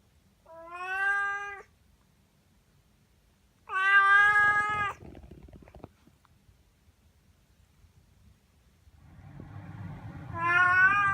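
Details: Eva, a talkative young sabashiro house cat between three and ten months old, meows three times, loud tonal cries a few seconds apart, with soft rustling and low background noise between calls.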